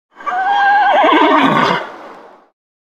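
A horse gives a loud, high neigh that wavers and drops in pitch before fading out.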